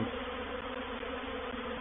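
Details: Honey bees of a reproductive swarm settling into a swarm-trap bait hive at Painted Peacock Manor on 04/07/21. Loud, even, unbroken buzzing drone with steady low tones and a fuzzy upper wash, no pauses.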